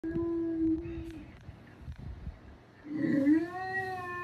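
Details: Boston Terrier dog making a drawn-out, steady tonal whine lasting over a second. After a quieter pause with soft background rumble, a louder wavering howl-like note swoops up and settles into a long, even tone.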